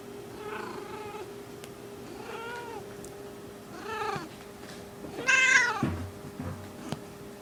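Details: In heat, the small pet cat Skittle utters a series of short, arching mews every one to two seconds, growing louder into a final strained, higher cry, with a faint electrical hum underneath.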